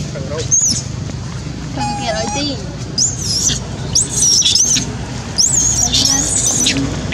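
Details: Janet, a monkey screaming loudly because she needs food: thin, very high squealing screams that bend up and down, coming in bursts through the clip over steady low background rumble.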